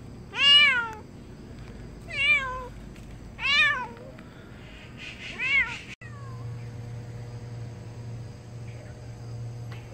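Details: Stray cat returning after TNR neutering, four loud clear meows in the first six seconds, each a harmonic-rich rising-then-falling cry about a second apart, followed by a steady low hum.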